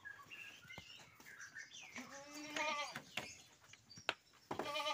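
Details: Unusual goat in a collector's pen bleating once, a strong, slightly wavering harmonic cry about a second long midway through, surrounded by sharp clicks and knocks from the pen.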